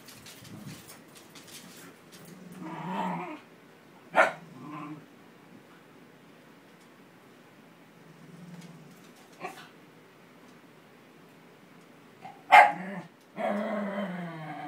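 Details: Welsh Terrier indoors, upset after a cocker spaniel took his bed; scattered grumbling whines and moans, a few sharp yips or barks near four, nine and twelve seconds, with quiet gaps between.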